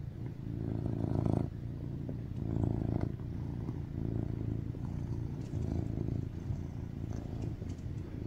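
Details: Affectionate male tuxedo cat purring on top of a person while seeking cuddles, a loud deep rumble pulsing in slow breath cycles of rising and falling loudness, with light rustling and clicks.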